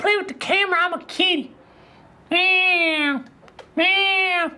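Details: Indoor cat making quick chirpy, wavering little calls, then after a pause two long, steady, drawn-out meows with rich overtones.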